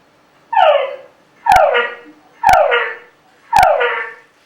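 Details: Male túngara frog mating calls: four loud whines, each sliding downward in pitch with rich overtones, spaced about a second apart. Three carry a sharp, abrupt added note, the chuck a male can append, up to about seven.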